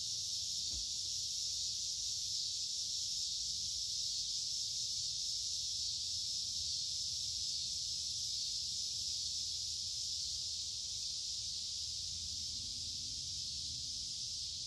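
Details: Chorus of cicadas heard walking through creekside woods in the middle of a warm, humid summer: an unbroken loud, hissing high drone, steady from start to end, with a faint low rising tone late on.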